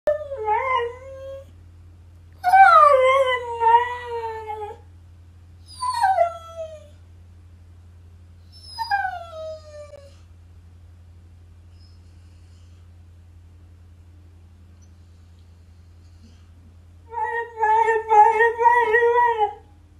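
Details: Siberian Husky indoors complaining because it wants to be outside with the others, recorded on an iPhone XR; drawn-out wavering howls and moans in five bouts, some sliding downward, separated by pauses, over a steady low hum.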